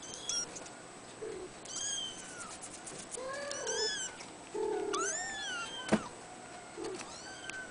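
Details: Female Abyssinian kitten, three weeks old, born 22 April 2010 in a cattery, mewing repeatedly in short high-pitched wavering cries, several arching up and down, with soft lower squeaks and a sharp knock in between.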